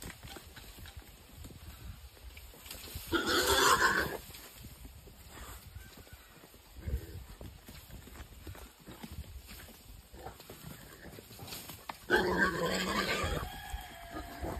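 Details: A wild boar caught in a trap gives two loud, harsh squeals, about nine seconds apart, over a steady background hiss.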